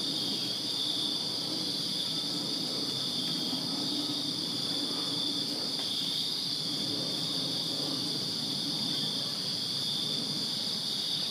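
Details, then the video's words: Crickets chirping on a summer night in a backyard in Virginia: a steady, dense high-pitched trilling chorus of many insects, continuous without pauses, over a faint low rumble in the background. "Crickets Chirping Summer Night in Virginia"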